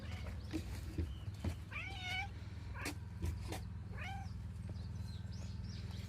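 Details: Cat at a morning gathering, uttering a few wavering meows that bend up then down, around two and four seconds, with a constant low rumbling hum and occasional knocks behind.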